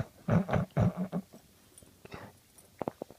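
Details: Sleeping puppy snoring indoors in Prescott, Arizona, November 2015; a quick run of four or five deep, rasping snorts in the first second, then near silence broken by faint soft clicks and a short breathy burst toward the end.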